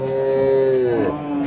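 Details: Dairy cow in Bangladesh holds a loud, steady lowing tone that bends downward near the end, with faint outdoor background noise.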